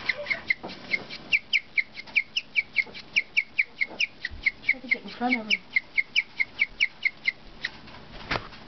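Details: Guinea pig Cookie, a pet, chirping in rapid regular high notes, about two per second, while a person's voice and a brief lower sound break in near the middle.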